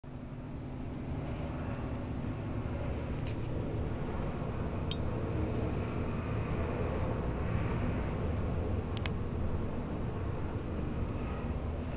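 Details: Low steady engine-like rumble with a few faint clicks, no animal voice heard.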